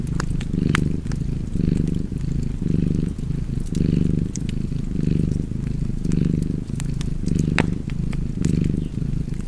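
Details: Cozy cat purr by a fireplace, deep and throbbing, rising and falling with each breath roughly every second, while logs snap and crackle in the background.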